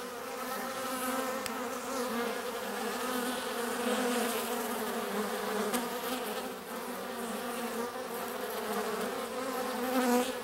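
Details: Many bees gathered drinking water, a steady dense hum of overlapping wingbeats with layered droning tones, rising and falling slightly as individuals come and go.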